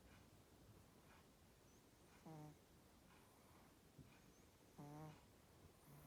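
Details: Sleeping Chihuahua snoring contentedly, with two short, buzzy, low tonal snores about two and a half seconds apart over a quiet indoor background.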